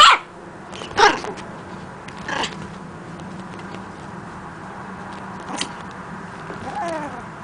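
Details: Puppy named Pancho, just learning to bark, gives a few short high-pitched yaps spaced about a second apart, then falls quiet with faint background hiss and a soft squeak near the end.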